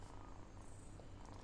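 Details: Domestic cat, scolded in Malayalam for biting and fighting with kittens, gives a quiet continuous purr, a deep pulsing drone without breaks.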